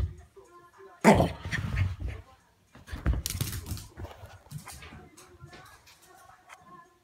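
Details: Shih Tzu dog going crazy, letting out a loud harsh bark-like burst about one second in, followed by rough noisy bursts and scuffling that fade toward the end, over faint tonal background sounds.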